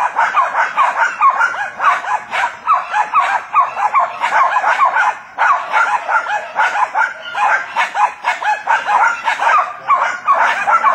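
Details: Jack Russell Terriers at work hunting wild boar, barking in a dense, continuous chorus of sharp overlapping yaps with few pauses.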